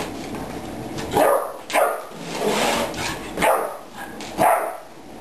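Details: Ten-week-old puppy barking at a water bottle indoors, tiring himself out: sharp, high puppy barks and yips repeated roughly every second, five in a row, with some room echo.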